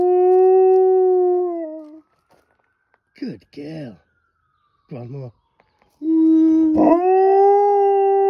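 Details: Howling female pet dog responding to a fire truck: a level howl that dips and fades, a gap filled with short spoken words from a person, then a fresh howl rising in and holding steady.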